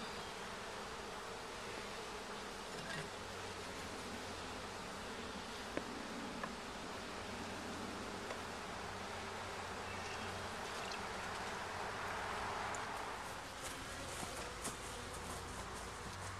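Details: Honey bees at a hive during a first inspection where comb is found, some returning with yellow pollen on their legs; a continuous dense droning buzz, slightly swelling near the end.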